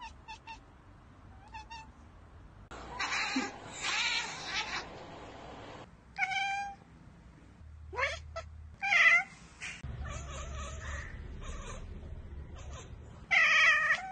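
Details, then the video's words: Domestic cat chattering on spotting a bird or insect it cannot get to: short bursts of clipped, chirping calls with sharp downward sweeps, scattered in separate clusters with quiet gaps, in a quiet indoor setting. "Cats Ekekekeke Compilation - Cats chattering at birds!"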